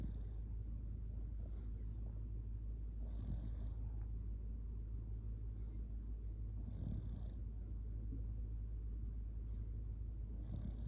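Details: Shiba Inu Kotetsu sleeping cuddled up against a person, snoring loudly: a steady low rumble with breathy swells roughly every three and a half seconds.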